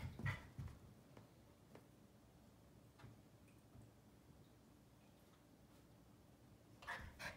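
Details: A Keeshond puppy gives short, pleading whines and whimpers at a Siamese cat, trying to befriend it, in a quiet room with soft clicks and rustles between.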